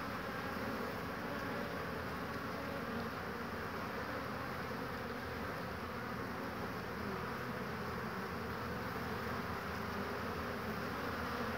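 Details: Many honey bees entering a hive through one entrance on a fine warm spring day, 22 March 2019, gathering willow nectar and pollen; broad, steady buzzing drone of massed wings without pause.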